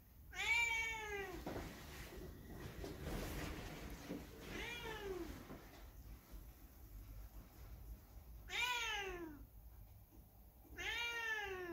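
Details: Hae, a factory cat alone after its dog companions were abruptly carted off by truck, meows four times, each call rising and falling; some clatter and muffled noise between the first calls on a blustery cold day.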